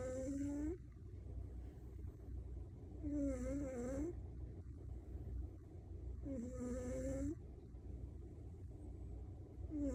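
A Maine Coon cat snores in whistling, nasal breaths that repeat about every three seconds.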